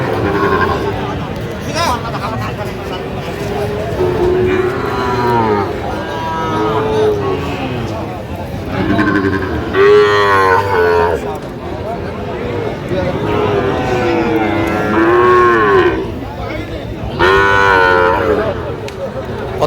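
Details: Sahiwal bull calves at a busy cattle market where a Dhaka farmer is buying, 8 November 2025; several drawn-out lowing moos rise and fall between bursts of bargaining voices and constant crowd hubbub.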